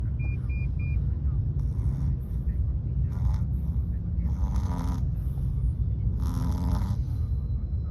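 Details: Chihuahua named Mochi asleep in a taxi on the way home, snoring with breathy hissing snores about every second and a half over loud, steady engine rumble; three short electronic beeps sound at the start.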